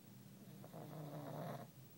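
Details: A sleeping pug snoring indoors, one long rough, rattling breath swelling and fading over about a second.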